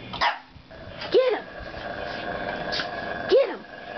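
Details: Indoor play session between two dogs, Gabby and Winky (now Wally): two loud, bent-pitch play barks about two seconds apart, with an earlier sharp yip and a low background hum between them.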